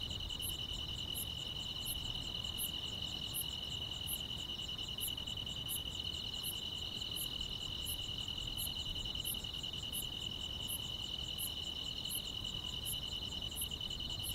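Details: Continuous chirping of grass insects on a tranquil rural summer night: a dense, steady high trill with regular piercing high clicks, nearly every 0.7 seconds, and a soft low background wash.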